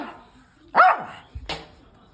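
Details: One loud, abrupt bark from an excitable pet puppy, followed by a shorter, softer second bark, in a quiet indoor setting before a walk.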